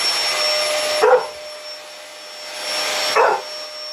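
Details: Six-month-old chocolate Labrador retriever barking at a running vacuum cleaner; two short, sharp barks about two seconds apart cut through the vacuum's steady roar.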